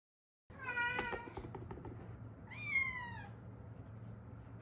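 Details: Meowing from a rescued Haeundae street cat, part of a stray mother-daughter pair that survived seven years despite traffic-accident fractures healing unset. Two clear meows: a long harmonic one, then a shorter bent, falling call, with low background hum.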